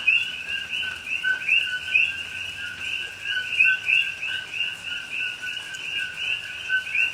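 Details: Night chorus of coqui frogs in rainy Hawaiian rainforest, Pahoa, October 2021. Crowded, unbroken layers of two-note calls, a flat low note and a sharper rising high note, with soft rain in the background.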